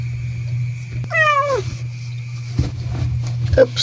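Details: Domestic cat meowing indoors as a mother cat gives birth to newborn kittens: one clear, drawn-out, falling meow lasting about half a second, over a steady low electrical hum, followed by handling noises and faint human voices.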